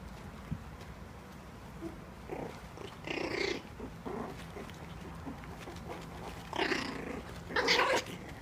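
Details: Cairn Terrier and Papillon cross pups, four weeks old, brawling in play; several squeaky yips and whiny growls with bright overtones flare up in separate bursts, the loudest near the end, with a constant low hum underneath.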